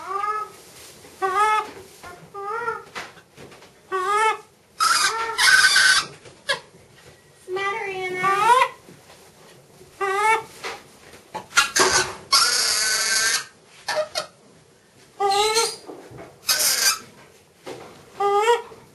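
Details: Breakfast excitement from Miss Anna, a sanctuary macaque: rapid strings of short, arched tonal coos repeated roughly every second, broken by harsh, noisy screech-like bursts, all indoors with little background noise.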